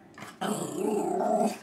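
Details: Indoors, a Norfolk Terrier eats cheerios from a ten-month-old baby's high chair and gives a steady low rumbling growl lasting over a second, with a person speaking around it.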